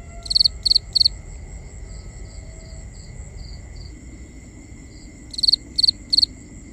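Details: Crickets at night, binaural ambience: three bright pulsed chirps open, faint chirps of another cricket fill the middle, and three more close chirps end the stretch, over a continuous high insect drone.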